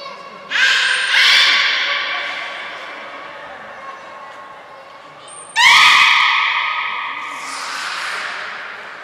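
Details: Captive belugas during an all-animal training session at Port of Nagoya Public Aquarium, 2 April 2023: two long, buzzy harmonic calls a few seconds apart, each starting abruptly and fading, with a brief high whistle tone.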